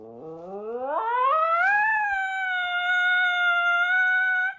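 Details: Siberian Husky from a funny compilation of dramatic husky behaviour, giving a long howl. It starts low, slides upward over two seconds, then holds a steady, clear, harmonic-rich tone to the end.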